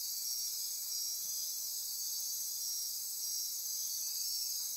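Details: Insects calling together at night in Costa Rican rainforest near Corcovado, Osa Peninsula; an unbroken high, hissing trill band with faint repeated pulses on top, steady throughout.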